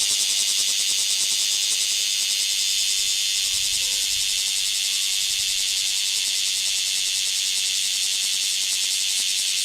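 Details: Bear cicadas singing at the height of summer, described as a summer tradition and a shower of cicada song: a dense, continuous, high-pitched shrill wall of sound with a fast pulsing texture and no breaks.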